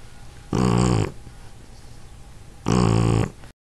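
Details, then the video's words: Abby, a sleeping Shar Pei, gives two loud, harsh, buzzy snores about two seconds apart, each lasting roughly half a second, with quiet breathing between them. "Shar Pei Snoring"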